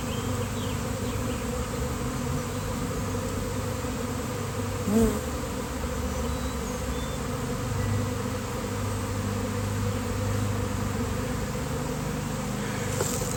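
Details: Honeybee swarm arriving out of nowhere in nice weather, droning as a continuous low, thick buzz of many wings. It holds steady throughout, with one brief soft knock near the middle.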